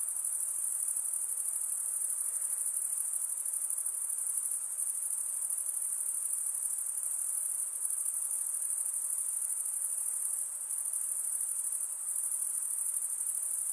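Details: Insects calling at night, a constant high-pitched pulsing trill that barely changes in loudness, a few slight dips in the shimmer, with low diffuse hiss beneath.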